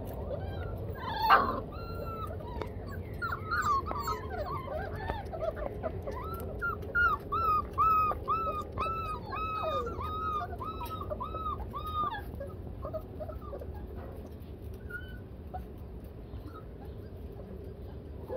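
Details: Four-week-old yellow Labrador Retriever puppies at play with Blazer: a thump, then a long series of rapid, evenly repeated high whining yips with rising-falling pitch, fading after about twelve seconds into quieter background hum.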